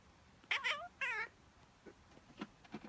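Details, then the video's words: A female house cat reacts, as she does every time, to someone sneezing or pretending to sneeze. She gives two quick, wavering, chirping calls in rapid succession. Faint soft rustling sounds follow in a quiet room. "Funny Cat - Strange reaction to human sneeze"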